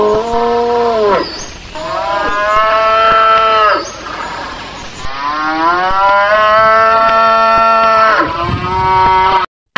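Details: Cow featured in an Indonesian children's lesson on animal names and their sounds; a series of long, drawn-out moos with rich harmonics, the last one shorter and rising, with no other clear sounds.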